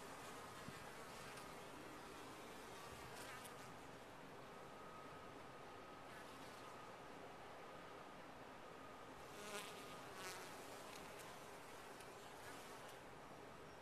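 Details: Colony of honey bees humming inside a top-bar hive: an even, continuous drone throughout, a faint thin steady tone over it, and a few short crackles and louder passing buzzes.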